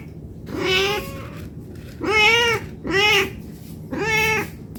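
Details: A cat begging for food out of hunger. Four clear meows, the first softer and wavering, then three louder rising-and-falling cries spaced about a second apart, indoors with a faint background hum.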